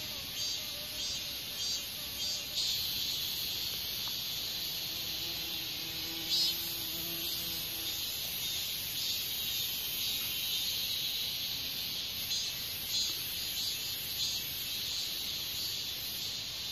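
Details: Katydid, Hexacentrus japonicus japonicus, an insect active as an adult from early summer to autumn, giving a continuous dense high-pitched buzzing drone that holds steady throughout without pause, with faint low tones drifting underneath.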